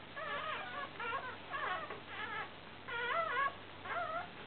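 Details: Newborn Fell terrier puppies, broken-coated Patterdale terriers, a litter of five born 29 July 2012, four boys and one girl: six wavering, squealing whimpers about every half second, each bending up and down in pitch, with brief pauses between.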